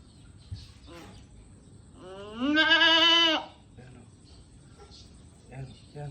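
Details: Goat giving birth: one loud, drawn-out, wavering bleat lasting over a second, with people talking quietly before and after.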